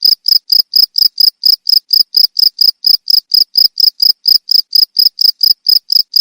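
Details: A cricket sings in regular, high, ringing chirps about two per second, played as a way to repel rats; the pattern stays constant with no other noise.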